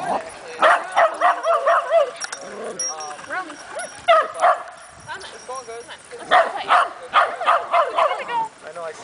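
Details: At a dog park on August 22, an Italian Greyhound barks in quick, high, yappy bursts at a Rottweiler on the other side, with a person talking in between.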